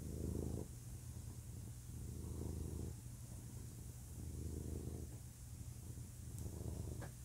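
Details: Low, rumbling purr from a male house cat, recorded up close. Long purring phrases swell and fade about every two and a half seconds, each with a short dip between breaths, and a faint click near the end.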